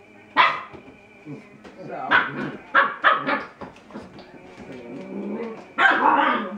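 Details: ['Bernese Mountain Dog puppy at play, scattered short barks and yips mixed with a person talking, a longer louder bark near the end.']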